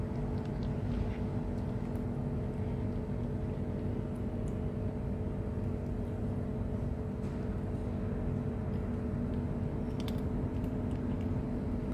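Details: Constant low traffic-like drone with steady hum tones and a few faint ticks throughout.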